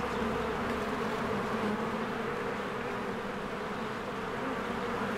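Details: Spring beehive with swarms of honeybees coming and going at the entrance. A continuous droning hum, thick and even throughout, with slight swells in loudness and no other clear sounds.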